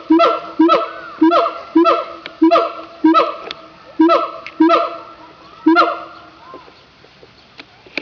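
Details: Zoo siamangs in Opole, Poland, during an unusually loud calling session: a fast run of harsh, honking barks repeated about twice a second, fading out over the last two seconds.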